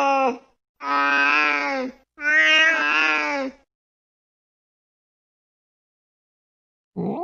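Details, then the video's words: Cat chasing a mouse late at night: lower, harsher drawn-out meows, three in quick succession lasting about a second each, then a long silence and a final call starting. "tiếng mèo đuổi chuột trong đêm khuya"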